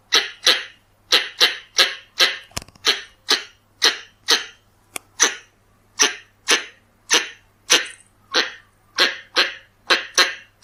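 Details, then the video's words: Red-bellied (Pallas's) squirrel sound used to lure, heard as a long series of rough, explosive chucks at a regular pace of about two per second. There is a brief thump near the start over a soft steady hum. "ສຽງກະຮອກທ້ອງແດງ ສຳຫຼັບຕໍ່ tiếng con sóc bựng đỏ เสียงกระรอกท้องแดง"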